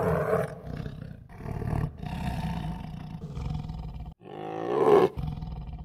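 A tiger gives three deep, rasping roars in quick succession, each lasting about a second and swelling in strength, with the last one loudest.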